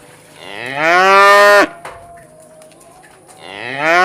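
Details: A tame cow in the countryside gives a long, loud moo that rises and then holds steady, and a second moo begins, calling the herd to drink and eat.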